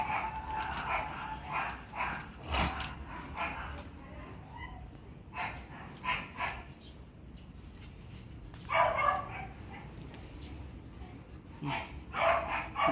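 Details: Pomeranian at a photo shoot in Parkhomes, Muntinlupa, giving sharp, high yapping barks in scattered bursts, some doubled, with quieter gaps between and faint voices in the background.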